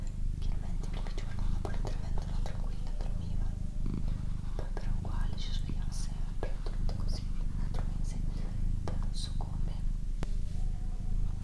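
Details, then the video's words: Doroti, a female pet cat, purrs with a strong low, pulsing rumble while soft whispering and gentle tapping sounds continue alongside. "ASMR Cat Purring & Whispering"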